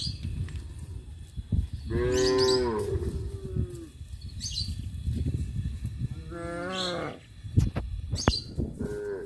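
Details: Village farm cows, out looking for food, give long, rich moos that bend in pitch over a low rumble of outdoor background noise.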